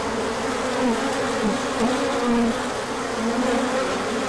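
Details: Honeybees circling on a large orientation flight as the sun returns after cold weather, late March 2024, bringing in pollen afterwards. Dense buzzing chorus, individual passing bees bending pitch briefly above a steady low hum.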